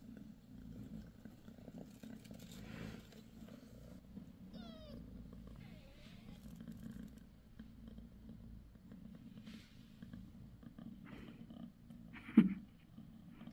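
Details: New mother cat Bassy on the sixth day after delivering five kittens. Steady low purring dominates, with one short high mew partway through and a sharp knock near the end.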